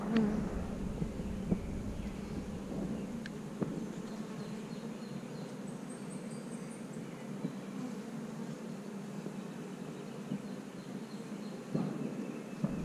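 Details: Worker honey bees humming on the comb while their queen puts her head into a cell to check it before laying. The droning buzz is even and unbroken, with a few faint ticks and scrapes.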